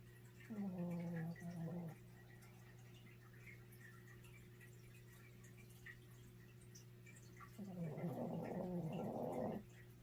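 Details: Little dog Hoku asleep and snoring loudly indoors: two separate snores about six seconds apart, the first a short, tonal, buzzing groan, the second longer, rougher and rattling, with a constant low room hum between them.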